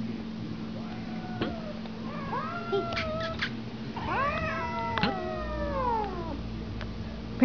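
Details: Two female cats indoors, meeting after spending a week together, trade a run of meows: short rising-falling cries followed by longer drawn-out wails that bend downward, several overlapping, over a steady low hum.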